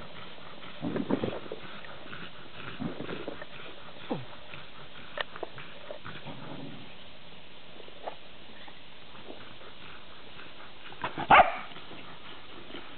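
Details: Dandie Dinmont Terrier among other dogs, giving soft scattered whimpering sounds and short vocal bursts over a steady low background hum, with one louder sharp yelp near the end.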